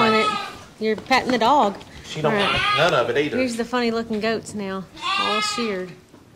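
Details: Angora goats on shearing day at a ranch give wavering, quavering bleats in short bursts, several calls overlapping one another, mixed with people talking nearby.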